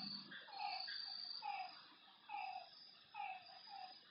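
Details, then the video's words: Night frog calls at a lake: a few separated falling notes, each short and ringing, spaced roughly one second apart over a soft background hiss. "Lakeside night creatures and frog sounds"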